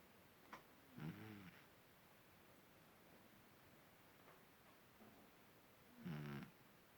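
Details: Sleeping cat snoring indoors: two soft, rattling low snores about five seconds apart, each lasting under a second, over a quiet hiss, with faint clicks between.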